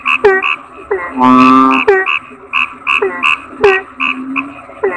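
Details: A frog gives one long, rasping, strongly resonant croak near the start. Around it, overlapping callers keep up a steady run of short clipped notes, several each second.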